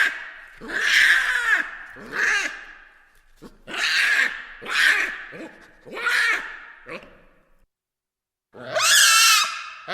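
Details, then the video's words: Harsh baboon screams repeated roughly once a second. Each is a hoarse, wavering cry. The run ends with a pause, then one final, piercing shriek. "FUNNY BABOONS NATURAL SOUNDS"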